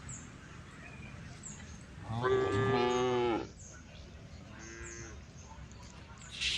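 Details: Amid steady background noise, a tame female cow gives one clear moo of about a second calling to an angry herd, followed by a fainter, shorter low call.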